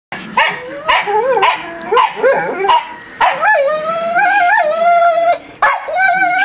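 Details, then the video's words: Two pet dogs whining at each other indoors: high, wavering nasal whines that rise and fall, broken into short bursts, then longer drawn-out cries, with a sharp yip near the end. "My Dogs Still Whining at Eachother"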